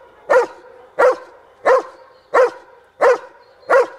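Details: A 19-month-old dog in protection training barking in a blind for a remote ball reward: six sharp, evenly spaced barks arrive roughly every 0.7 seconds against a quiet background.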